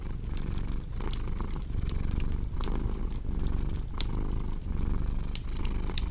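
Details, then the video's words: Cat purr, a low, rhythmic rumble beating in regular breath-length pulses, partly crowded by prominent fireplace crackling with loud snaps near the middle and end. "Purring Cat with Cozy Crackling Fireplace Sound"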